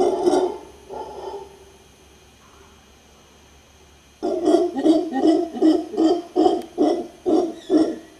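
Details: Mantled howler monkey howling in Guanacaste, Costa Rica: a few hoarse bursts, then a quiet gap, then a steady run of about ten rhythmic gruff pulses roughly every half second.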